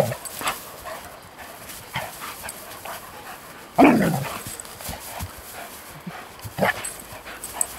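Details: Schnauzer romping in play with a young German Shepherd: one sharp, loud bark midway, with a few fainter short yelps and scuffling noises around it.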